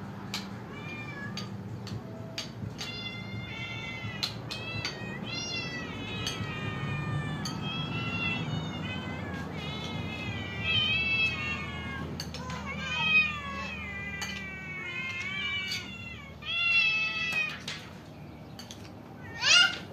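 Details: Many cats and kittens waiting to be fed meow over one another in a busy, overlapping chorus of high, wavering cries that swell louder near the end.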